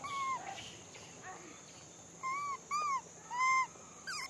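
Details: Monkeys calling while being fed: clear, tonal, arched coos with bright harmonics, five or six short calls spaced irregularly, each under half a second, over a steady high hum and low background rumble.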